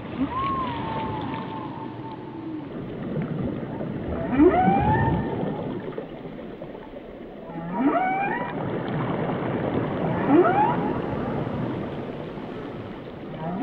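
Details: Underwater whale song with a long level tonal moan, then sharply rising whoops and harmonic squeals returning every few seconds, set against a constant murky low-frequency rumble.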